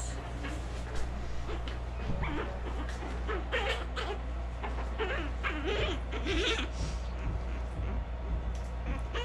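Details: About month-old orphaned North American river otter pups being hand-fed milk by rehabilitation staff. Repeated wavering squeals and whines, some bending up and down in pitch, over a constant low hum, with staff speaking softly nearby.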